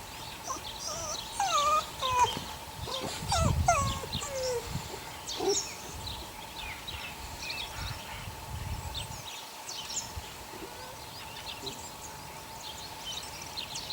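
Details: Six puppies, eight weeks old, of the neighbour's dog Sunny, giving thin, high whimpers and short yelps that slide up and down, bunched in the first six seconds and then fading, over a steady background hum.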